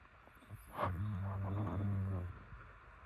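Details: Sleeping pet dog Yeolmoo giving a single drawn-out snore, a low, steady, rattling drone held for about a second and a half before fading back into a quiet room.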